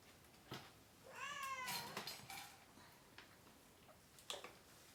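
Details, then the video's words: One of three kittens being weighed and dewormed indoors gives a single wavering, downward-sliding meow amid clicks and handling noises in a small room. "Too MANY Crying Baby Kittens!"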